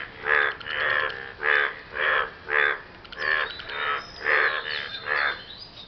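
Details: Frogs after rain, croaking to win a partner: roughly eight loud, raspy, harmonic croaks at a slow, even pace of about one every two-thirds of a second.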